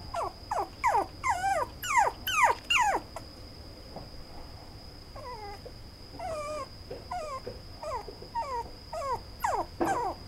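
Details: Brown male Toy Poodle puppy whimpering: a run of high, falling whines with wavering pitch, several per second, a pause near four seconds, then a second series of shorter descending whimpers; a steady high electronic tone runs throughout.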